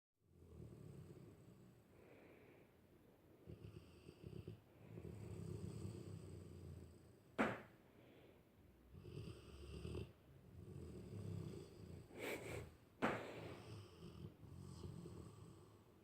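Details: Sleeping dog snoring indoors in a small room: rough, low rumbling breaths in long swells, with a few sharp clicks or knocks breaking through.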